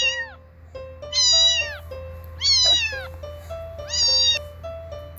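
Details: Domestic cat meowing over soft children's background music: three loud, high meows, each sliding downward in pitch, spaced about one and a half seconds apart.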